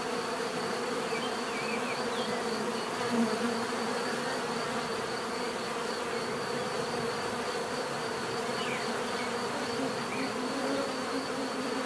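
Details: Steady buzzing of many bees forming a continuous drone, with a few faint bird chirps heard faintly behind the hum.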